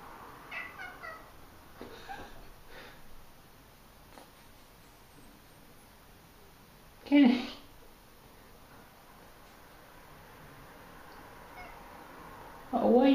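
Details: Kenny, a pet cat, crying in the bathroom because he wants to use the toilet. Two loud, drawn-out meows, one midway and one at the very end, follow soft human speech in a small room.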